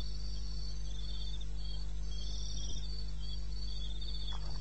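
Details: Night insect chorus from eastern Botswana wilderness at 2:30 am, 21 May: several crickets give thin, high, rapidly pulsed trills that start and stop, layered over a steady low rumble, with one faint soft knock.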